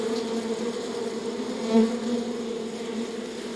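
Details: Steady buzzing from a honey bee hive, a thick layered drone that swells briefly near the middle as a single bee passes close, otherwise even and continuous.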